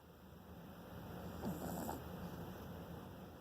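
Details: French Bulldog puppy snores softly, a low rumbling breath with a slightly louder snort midway.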